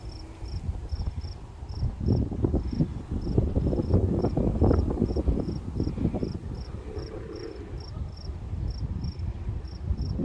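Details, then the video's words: Crickets at a Colorado sunset in a cool breeze, giving thin, high, rapidly pulsed chirps repeated steadily throughout, partly masked by strong low rumbling gusts of wind. "Crickets in the breeze"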